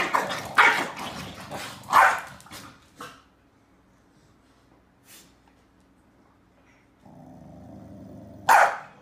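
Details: Two Corgis, a male and a female, give sharp, loud barks in uneven bursts while snapping at each other in a fight over the bed, with quiet gaps between outbursts; Beijing, July 28.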